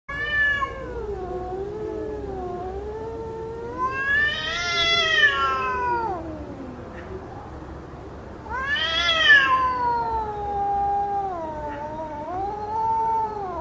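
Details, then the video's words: Two cats fighting: long, wavering, harmonic yowls that slide down and up, swelling into two loud, harsh, rising wails around the middle and later, then settling into lower drawn-out moans. "Two Cats Fighting Voice"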